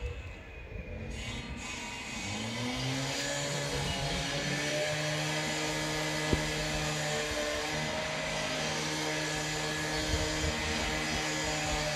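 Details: A car engine hums and revs with steady droning tones, and a single sharp click comes midway; no cat or other animal is heard.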